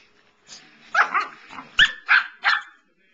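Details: Samoyed named Evelyn standing up to another dog, Pearl, and putting her paw down; a burst of five sharp, high, yelping barks within two seconds, each short and harsh, after a low growly lead-in, indoors.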